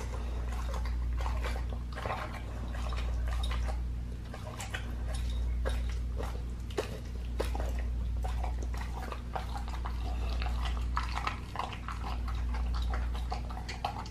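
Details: Raw-fed pit bull gnawing a leg of lamb indoors: sustained wet crunching, tearing and licking sounds in quick irregular clusters, over a steady low-pitched room hum.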